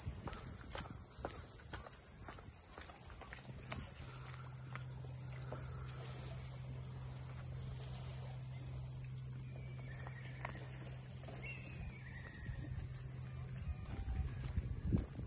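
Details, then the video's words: Unbroken high-pitched cicada chorus along the waterfront houses of Ine no Funaya, north of Kyoto, Japan, during a walk; footsteps, a low droning hum and a few faint brief chirps mix in beneath the buzzing. "cicadas voice"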